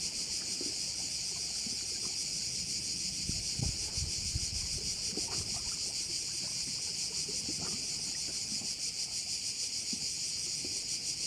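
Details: A steady, high, buzzing insect chorus of crickets fills a bay on the island of Korčula, Croatia, while low wind or engine rumble and irregular thuds come and go beneath it.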